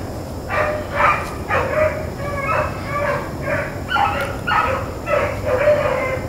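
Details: Pack of Blackcreek and Bluetick hounds on a rabbit chase, April 4, 2013; evenly spaced, ringing bay notes roughly every half second, several dogs' voices blending over a low continuous rumble.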